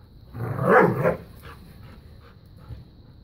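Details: New puppy playing keep away and tug of war with Bella, a five-year-old black lab pitbull; one rough, rising-and-falling growling bark lasting under a second, followed by faint softer grumbles.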